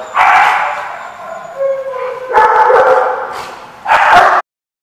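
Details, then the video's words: Dogs at a place called The Barking Lot, recorded 4/10/15, giving dense bursts of sharp, yappy barks, with a brief rising whine-like tone between bursts before a final quick cluster of barks. "The Barking Lot"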